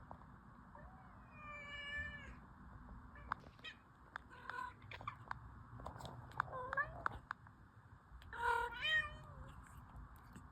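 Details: Orange cat giving scattered meows, a clear rising-falling meow near the start and a louder one near the end, with clicks and taps between them over a low hum.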